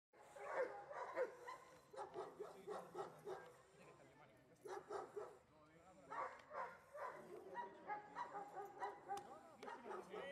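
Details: Giant Schnauzer barking during IPO protection (defence) work training; rapid series of harsh barks in bursts of several, with brief pauses, mixed with human voices in the background.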